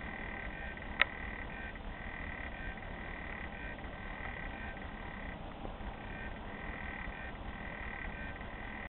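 A frog sings a continuous high trill, a level buzzing tone held for long stretches with only brief pauses. A single sharp click stands out near the start, over a low background rumble.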